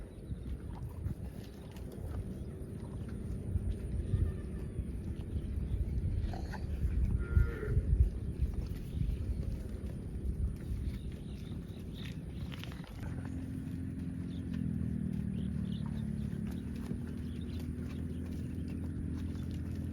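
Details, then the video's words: Tame cows roaming village streets toward the farm pen; after a stretch of shuffling hooves and rustling, a long, deep, steady moo begins about two-thirds through and holds to the end. "Funny Cows sounds"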